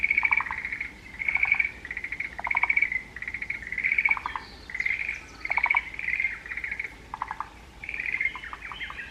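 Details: Forest green tree frog calling in the mountains: short pulsed, rattling croak bursts repeated roughly once a second, each with a ringing higher tone above it, over a steady background hiss.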